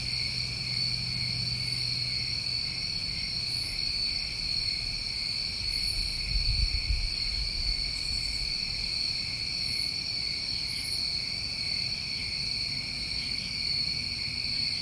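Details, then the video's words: New England crickets on a summer night keep up a constant high trilling chorus, with scattered short very high chirps every second or two and a low rumble midway. "Over 1 Hour Of Tinnitus Masking With Crickets"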